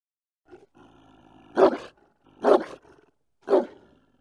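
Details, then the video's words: German Shepherd giving a soft low rumble, then three heavy, widely spaced barks roughly one second apart, each trailing off quickly into silence. "German shepherd barking"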